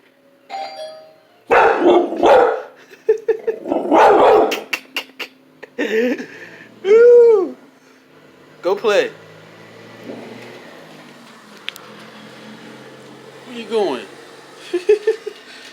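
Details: A pet dog that hates the doorbell reacts to its chime: a two-tone ding-dong, then loud shrieking cries, one rising and falling in a long arching wail, with scattered yelps and a person speaking calmly between outbursts.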